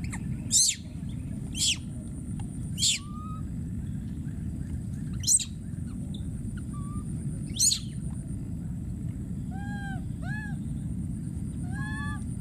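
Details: Wild baby monkey calling for his friend: shrill screams sweeping very high, about five across the clip, then softer arched, whimpering coos toward the end, over a steady low rumble.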